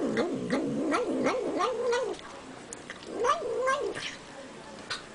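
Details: Cat eating and vocalizing: a two-second stream of rapid undulating mews, a pause with faint clicks, then a shorter warbling burst, each note wobbling up and down in pitch.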